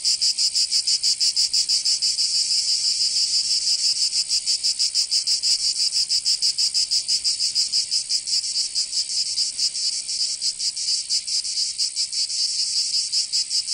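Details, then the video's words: Summer chorus of cicadas in Provence, southern France, a continuous shrill buzz with quick, slightly uneven pulsing that blurs into a steady wall of sound. "Canto Cigarra 🦗 [ Escuchar les cigarras en verano 10 H]"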